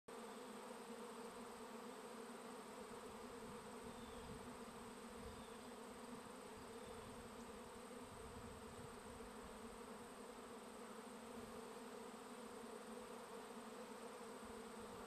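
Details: Honey bee swarm on a bee farm giving a dense, unbroken droning hum from many bees at once, steady throughout, with no voices or other animals.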